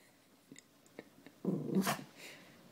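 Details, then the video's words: A Pekingese barking after another dog gives a single short, rough bark after a few faint clicks. "Pekingese barking"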